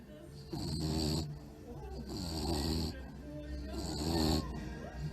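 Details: Tired bulldog sleeping and snoring loudly during a nap: three long rasping, harmonic-rich snores, each lasting about a second, separated by quieter breaths, with a low rumble underneath.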